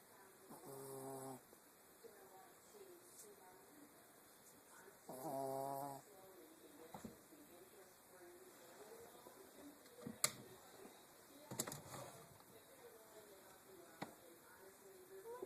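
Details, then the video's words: Wickett, a Yorkshire Terrier, snoring while asleep: two loud, buzzy, harmonic snores roughly four seconds apart, then softer rasping breaths broken by a few sharp clicks. "Wickett, Yorky Terrier, Snoring"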